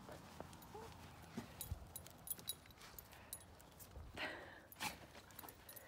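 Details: Hawkeye, a fearful dog, barks when a man he does not trust enters the yard, backing up and pacing; two short, sharp barks come near the end after quiet rustling and faint movement noises.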